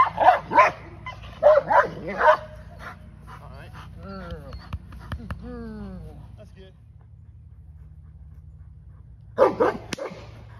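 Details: Female English Mastiff at a first training session, giving three quick barks at the start, a stretch of voices and soft sounds in the middle, then another pair of barks at the close.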